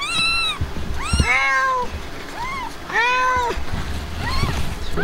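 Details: Blanca, a Himalayan cat who has just given birth, with her kittens: a run of high, arched meows, each about half a second long, some pitched lower and longer, following one another with short gaps over a low background rumble.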